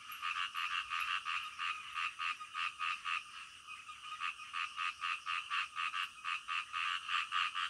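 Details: Night chorus of frogs croaking, offered as soothing sound for deep sleep; fast repeated rasping croaks, about four per second, loud and steady throughout with slight irregular spacing.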